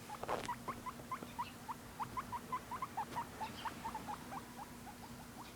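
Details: Pet guinea pig making curious noises indoors: a rapid series of short, high chirps, several per second, each a quick upward flick, steady throughout with a faint constant low hum behind.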